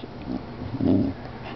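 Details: Lilly, an 11-year-old Cardigan Welsh Corgi, gives a single short, muffled, mid-pitched bark.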